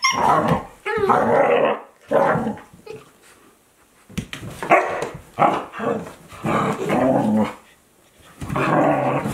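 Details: Two Akita Inu dogs, one 14 months old and one a 2-month-old puppy, playing together in 2023: bursts of rough growling and gruff barks, each lasting about a second, with short quiet gaps between them. No music.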